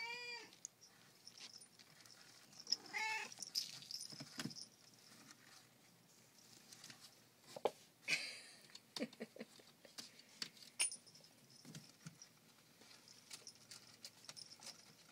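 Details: Siamese kittens playing in a basket indoors: two short, clear tonal meows, one at the very start and another about three seconds in, set against steady rattling, scratching and rustling from their play.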